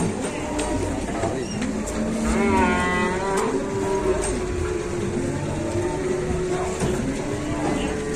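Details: Cattle at a crowded Indonesian livestock market, where one cow is unable to stand; a drawn-out harmonic moo rises and falls near the third second over steady crowd murmur, engine hum and faint music.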